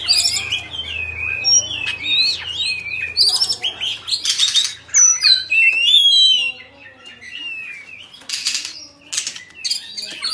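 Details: Oriental magpie-robin of the Bạch Bạng type, a kept ornamental bird singing while fanning its tail in display: rich varied whistles, rising and falling slurs, quick chirps, interrupted by short harsh rasping bursts and fluttering.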